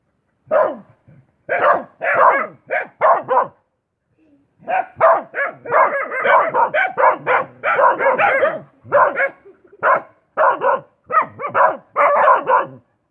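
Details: Dog barking in quick repeated volleys, a short run of barks, a pause of about a second, then a long dense series of sharp barks.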